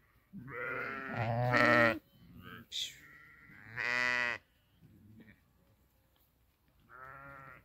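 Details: Sheep at pasture while grazing, giving loud harsh quavering bleats, one strong long bleat mid-passage and a softer one at the end, with Italian conversation mixed in.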